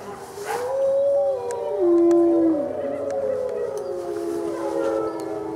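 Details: Gray wolf howl at a Colorado wildlife center during a full moon feeding, November 2013; one voice rises and holds a clear tone, then drops to a lower steady note while other wolves howl softly behind.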